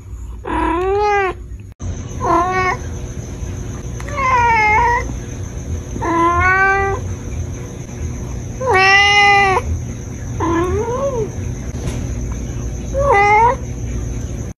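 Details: Kittens meowing: a series of seven clear, rising-then-falling meows with rich harmonics, each about half a second long, spaced one to two seconds apart, over a steady background hum.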